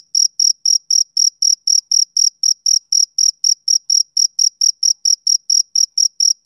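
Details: Soothing, rhythmic chirps of a male cricket on a summer evening, high and metallic, pulsing about four times a second in a clean, uninterrupted sequence with no background noise.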